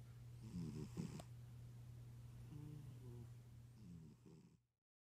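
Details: Sleeping tuxedo cat from Boston snoring like an old man: low rumbling breaths with short rattling snorts repeated every second or two, over a steady low hum.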